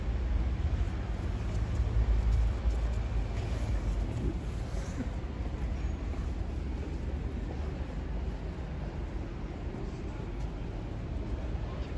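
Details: Steady outdoor rumble of passing traffic and low urban noise, no animal call heard.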